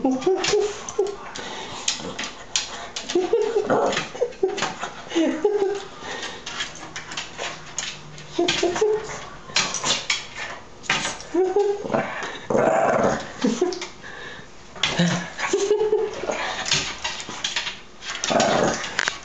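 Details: Shih Tzu named Dusty confronting a red devil fish indoors, giving short yipping barks and whimpers in scattered bursts while a person urges him on with repeated speech.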